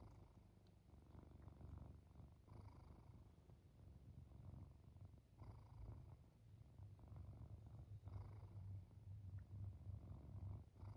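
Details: Cat purring and snoring on the edge of sleep: deep, steady low rumble with gentle rises and falls in loudness and faint breath breaks every few seconds, quiet indoor setting.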